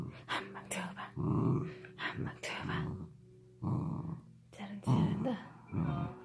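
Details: Dachshund growling during a tug-of-war game: low rough rumbling growls in bursts of about a second, rising and falling, with tugging noises and faint background music.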